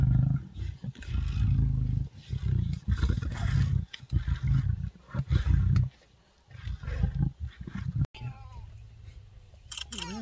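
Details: Lions in a pride tear at a warthog kill in Africa. Heavy, low, gravelly growling runs almost continuously for six seconds, then quiets. Thin rising chirps, likely birds, are heard near the end.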